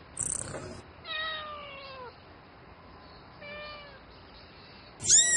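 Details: Night-time mate call of a domestic cat: two long, quiet meows that slide gently downward in pitch, separated by a pause, with a sharper high cry at the start and end.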